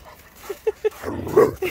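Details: Rhodesian Ridgeback pup playing during zoomies: three quick, soft yips followed by a louder, longer yelp and a brief final squeak.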